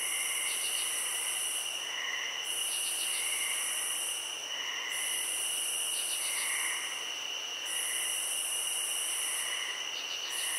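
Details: Crickets calling in a field, a dense high steady trill joined by an even shriller band that cuts out four times, short bursts of rapid pulses, and repeated softer lower chirps.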